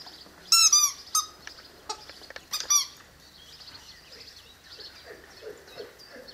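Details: Presa Canario puppies, six weeks old, giving a few high, thin squealing whines with falling tails, clustered in two short bursts, then quieter scattered squeaks and soft rustling.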